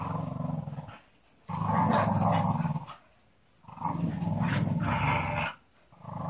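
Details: A Staffordshire Bull Terrier, one of a pack of three, gives deep, rumbling growls in long bursts with short pauses between during early-morning rope play.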